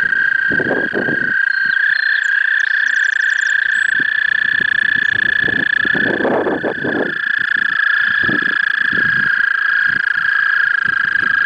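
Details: Toads at a small woodland pond in Red Wing, Minnesota, gathered in spring to sing and mate for three days; a dense, steady high trilling chorus drones throughout, with intermittent splashing and rustling bursts.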